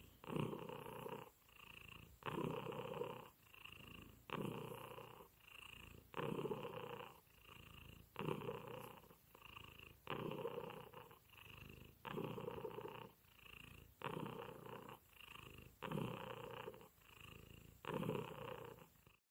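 A Turkish Angora cat purrs steadily, its rumbling breaths rising and falling about every two seconds.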